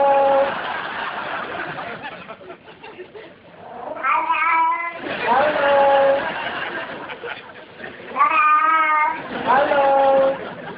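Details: Domestic cat meowing in a talking-cat compilation: drawn-out, rising-then-falling harmonic meows around four, six, eight and ten seconds answer a person repeatedly saying hello, with laughter in between.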